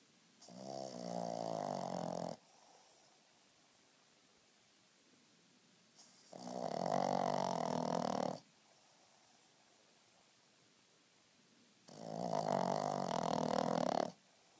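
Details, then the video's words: Frenchton dog snoring loudly while napping indoors: three rasping, rumbling snores, each lasting about two seconds, separated by roughly four seconds of near silence. "Snoring Dog"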